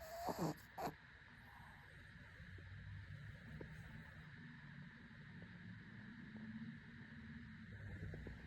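A Shih Tzu snores softly, low rumbling breaths rising and falling in slow cycles.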